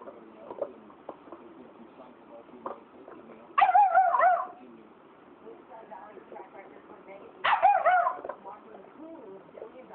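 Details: Black phase wolf hybrid angry at a Saint Bernard that stole its bone: two loud, harsh, wavering whine-growl outbursts about four seconds apart, each roughly a second long, over quieter background chatter and low rumbling.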